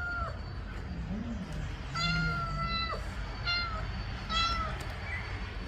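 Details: Mother cat meowing to ask that her kittens be put in the nest: clear, tonal, harmonic meows, some short and one drawn out about a second, level then dropping at the end, spaced across the recording over low background rumble.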